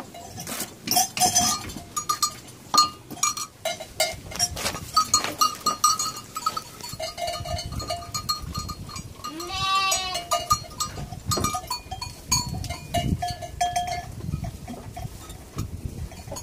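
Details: Goat at milking time on a farm where two nanny goats are milked and their milk is bottle-fed to an orphaned lamb; one quavering bleat sounds midway, amid steady clinking bells, handling noises and rustling.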